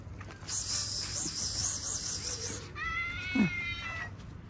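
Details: Domestic cat giving one drawn-out, slightly falling meow with clear harmonics, lasting over a second, after a stretch of steady high hissing noise; faint background noise throughout.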